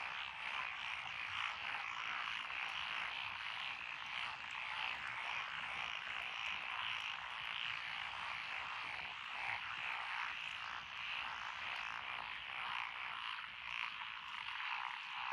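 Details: Countryside lotus rice paddies at Echizen, Fukui, Japan, 12 June 2021, alive with Japanese tree, pond, wrinkled and green tree frogs; an unbroken wall of chattering, rattling croaks with shifting pulses and no other clear sounds.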